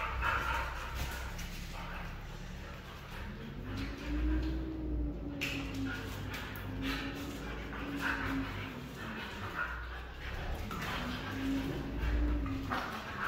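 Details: Red female Siberian Husky giving drawn-out, arching vocal calls that rise and fall in pitch, several long phrases in a row over a steady low background hum.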